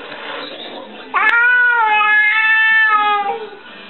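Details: Domestic cat from a funny cats-and-kittens compilation: after a sharp click, one long steady meow of about two seconds, slightly rising at its onset and falling at the end, over low background murmur.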